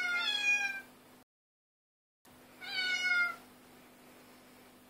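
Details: A cat chorus captured on an Android phone: two drawn-out harmonic meows sliding gently downward, separated by a brief dead silence, over a low steady electrical hum.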